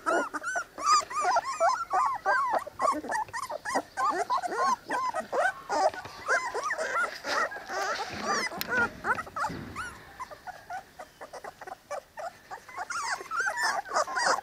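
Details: Three-week-old Cane Corso puppies in a litter keep up a dense chorus of squeaky whines and yelps, about three per second, with bent, wavering tones; a brief rustling, thumping pause midway before the whimpering resumes.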